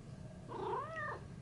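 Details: Shio-chan, a pet cat named Theo, reacts after being scared by fellow cat Thea while chilling: one clear, drawn-out meow arching upward then sliding down, rich in harmonics, over a low steady hum.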